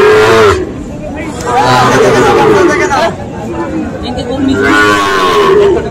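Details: Sahiwal bull calves at a cattle market on 5 October, bought by farmers from various regions; three short, wavering moos spread across the recording, mixed with human chatter and market crowd noise.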